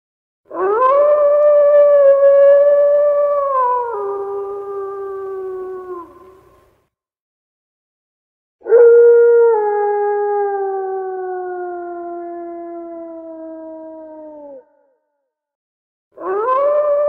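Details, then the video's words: Wolf howling: two long, steady, tonal howls of about six seconds each, holding level before sliding lower and fading, separated by silence, with a third howl starting at the end. "Le Hurlement Du Loup"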